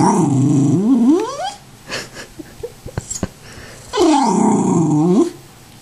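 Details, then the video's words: A Tibetan Terrier indoors begging for popcorn and throwing a fit: two long, loud, wavering vocal howls with rising and falling pitch, separated by a quieter stretch of short clicks and taps. "a Tibetan Terrier Talking for Popcorn"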